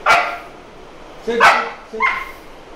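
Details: A male Boxer barks while being trained on commands; three loud, clipped barks arrive at uneven spacing, the middle one strongest, with quieter room noise between them.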